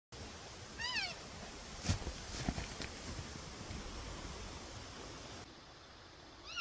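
An elk calf gives high, squealing mews, calling for its mother after becoming separated from the herd.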